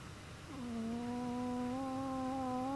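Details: Chihuahua sleeping comfortably, snoring: after a half-second of quiet a steady, low nasal whistle sets in with clear overtones, holding one tone and rising slightly toward the end, in a quiet room.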